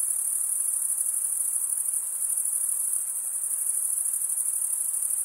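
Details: Continuous cricket chorus from stridulating males, a bright high trill pulsing rapidly without pause, even in loudness throughout, over a soft low hiss.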